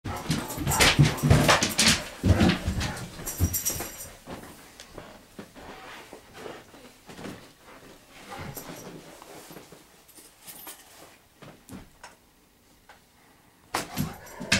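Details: Nine-year-old Great Pyrenees acting like a puppy while playing indoors in a small room. Bursts of rough, noisy play vocalisations cluster in the first seconds, then scattered softer sounds and bumps follow, with a loud flurry at the end.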